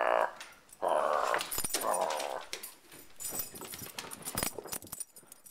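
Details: Vizsla indoors, pouncing on rabbit slippers as if hunting: three rough, buzzy growling bursts in the first two seconds, then scuffling, thumps and rustling as the dog tussles with the slippers.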